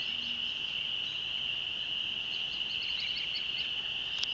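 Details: At sunset beside a country church, spring peepers form an unbroken shrill chorus of overlapping peeps, with a short run of higher chirping notes near the end.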